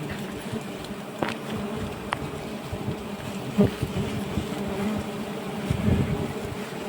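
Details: Dense low humming from a mass of giant honey bees at a large nest, about 1.2 m long, being cut, with scattered crackles and brief sharp taps over the drone.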